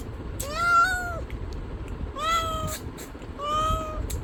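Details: Three clear, drawn-out cat meows, each rising then falling slightly, about a second apart, over a low rumbling background.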